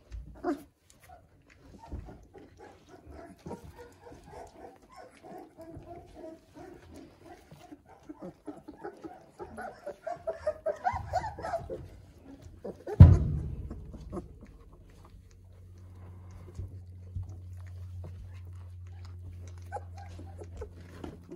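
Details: Weimaraner puppies, 18 days old and just discovering their voices, make a quiet run of soft squeaks and grunts building for a few seconds, then a sharp thud followed by a steady low hum.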